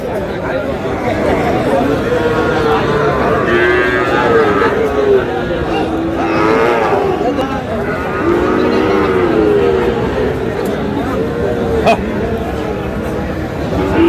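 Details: Sahiwal bull calves at Aftabganj cattle market in Dinajpur, Bangladesh, on 25 July, lowing amid a busy crowd; several overlapping drawn-out moos rise and fall against constant chatter and bargaining voices.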